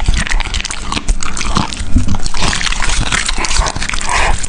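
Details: Dog eating at close range gives wet, crunchy bites and smacking mouth noises in uneven rapid bursts. Snatches of faint whimper-like tone run through the chewing.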